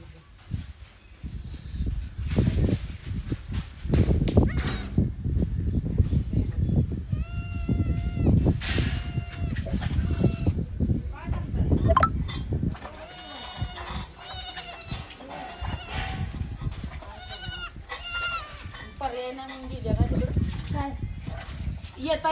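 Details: Newborn goat kid just born to its mother, bleating in short wavering cries several times over the clip amid people talking, rustling and handling noises.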